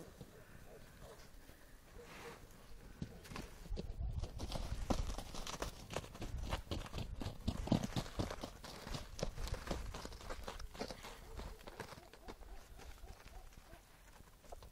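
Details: Galloping horses in snow give a steady run of soft, thudding hoofbeats, nearly four each second, growing louder toward the middle and fading near the end, with irregular crisp knocks among the muffled footfalls.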